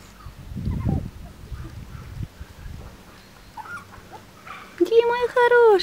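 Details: Chihuahua puppies, males from a breeding kennel, whimper with thin, squeaky cries, ending in a sustained, slightly wavering whine.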